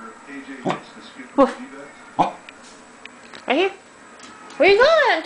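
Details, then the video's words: Corgi "talking" while prompted with "woof": short yelping vocalizations spaced about a second apart, ending with a longer wavering, yodel-like sound that rises and falls, with a person's voice in between. "the corgi - Talking"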